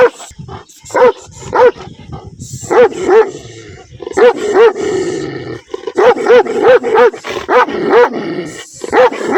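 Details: Angry barking from a black dog with white chest and paw markings outdoors: rapid sharp barks, often in pairs, with a low growl running beneath one stretch in the middle.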